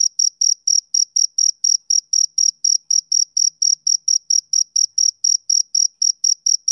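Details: Male cricket chirping on a summer evening: a steady run of short, high, clean chirps, about four per second, each pulse evenly spaced with a faint higher overtone, no other sounds.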